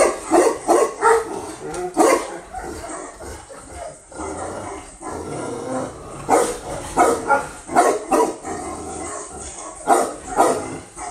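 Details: Female Tibetan Mastiff, newly imported from Russia, barking in irregular bursts of two to four deep, broad barks with short pauses, a person's voice trying to calm the dog heard nearby.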